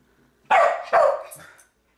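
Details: Pet dog barking indoors at a game character on screen: two sharp, loud barks about half a second apart, the second trailing off into a short whine, in a quiet small room.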